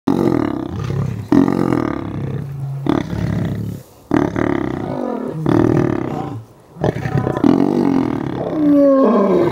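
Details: Lions being fed a snack at the South African Lion Park in Johannesburg: deep, rough, snarling growls in loud bursts, broken by brief silent gaps, with a higher whining tone near the end.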